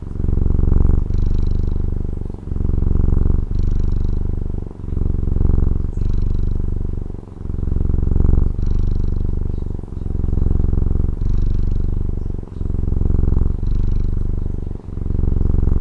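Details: Domestic cat from Taiwan purring at length, a steady deep buzzing hum pulsing with regular breaths about every 1.3 seconds, with brief dips between in-breath and out-breath and soft airy hiss on alternate phases.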